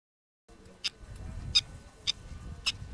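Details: Prairie dog living in a social colony, calling to communicate: four sharp, high chirps spaced about half a second apart over a low, rumbling background.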